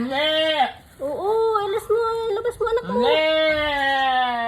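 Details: Mother goat named Susy, also called Mimi, struggling through a difficult birth while people indoors urge her to push the kid out; long, steady, strongly harmonic bleats open and close the passage, with human speech between them.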